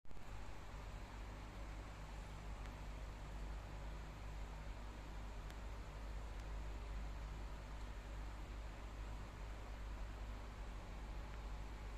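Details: Constant low mechanical hum like a fan or engine, with faint hiss and a few soft ticks, and no animal voices.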